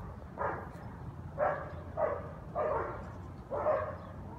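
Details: Repeated barking from guard dogs in New Orleans early on a Sunday morning, heard from a nearby house; five rough, mid-pitched barks spaced unevenly about a second apart, over a constant low droning background.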